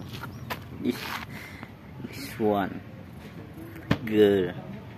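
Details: Old male stray cat that lives at a pagoda, looking very hungry and meowing to ask for food: two short strained meows, the second longer and louder, with a person talking softly nearby.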